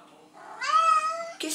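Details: Domestic cat meowing at night because she is thirsty and wants to drink from the sink, the only place she drinks. One drawn-out, slightly rising then level meow of about a second, followed by a short burst of noise.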